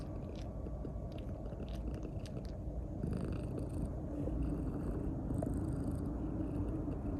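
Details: Female grey-and-white Maine Coon cat, two years old, kneading clumsily while seeking affection, purring in a low continuous rumble with faint soft clicks and rustling.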